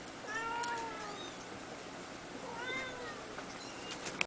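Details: Two-week-old red male Abyssinian kitten squeaking repeatedly: a cluster of thin, wavering high mews in the first second and another arched mew around the three-second mark, indoors with a faint steady hiss.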